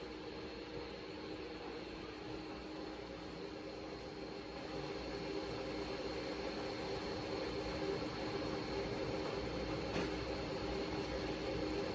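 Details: Steady mechanical whir like a fan or engine, slowly growing louder, with one brief click and no barking or howling.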